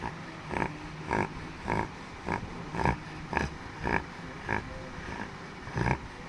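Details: Chotu, a pet Labrador, snoring in its sleep. Short nasal rasps come in a steady series, roughly 107 per minute, each a brief rattling snort, with constant low-pitched room noise underneath.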